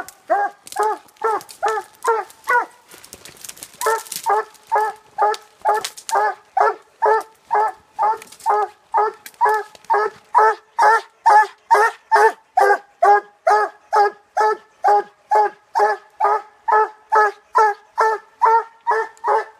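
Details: Late-night Treeing Walker Coonhound that has treed, delivering a very regular string of clipped, ringing barks, a little over two per second, after an uneven, noisier stretch early on.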